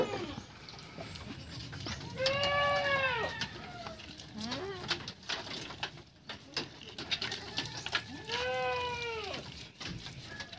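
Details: Young purebred Anglo-Nubian male goat bleating during a bath: two long, arching, quavering bleats several seconds apart, each rising then falling, with running water and handling noise between them.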